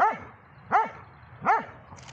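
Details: Dobermann named Magmar Von Der Burgstätte, aged 11 years and 3 months, giving three short, arched barks spaced roughly three-quarters of a second apart, with a faint higher yip at the end.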